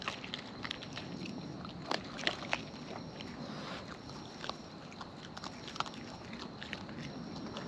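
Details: Wild raccoons filmed close up while eating, their chewing heard as irregular crunchy clicks and sharp bites, several louder snaps near the two-second mark, over a steady background hiss.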